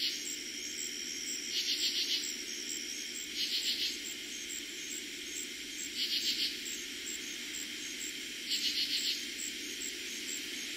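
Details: Summer night in eastern Pennsylvania, 2021, with katydids calling: four clipped rasping phrases of several rapid pulses each, coming every two to two and a half seconds, above a steady background drone of crickets.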